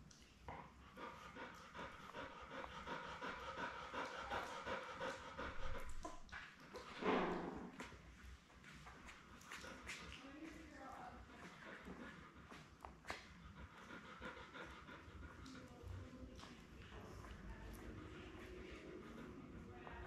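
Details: Lab mother Belle with her litter of seven puppies, born May 24, 2021, filmed indoors on a livestreamed puppy cam. Soft, loose panting repeats throughout, broken near the middle by one louder, rough burst.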